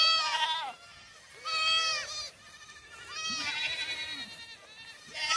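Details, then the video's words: Black goat kids running on a farm in Gimhae, South Korea, July 2008; a series of loud quavering bleats, roughly one every second or two, each with a bending, slightly falling tone, separated by quiet gaps. "흑염소 새끼들 질주본능"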